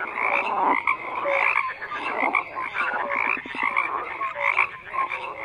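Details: Many frogs croaking together in a dense, overlapping chorus; harsh rattling croaks mixed with short whistled notes, continuous with no pauses.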